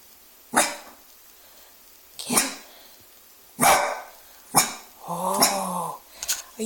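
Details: Young Dachshund that has just learned to bark, indoors at home, barking at his own reflection in a fireplace glass screen, taking it for another dog looking in; loud sharp barks, about five at uneven gaps, with a person's voice speaking between them.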